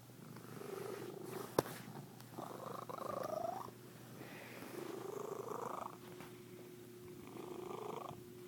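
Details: Domestic cat making unusual purring noises: low continuous purring broken by several wavering, nasal, rising-and-falling vocal bursts of one to one and a half seconds each, indoors and fairly quiet.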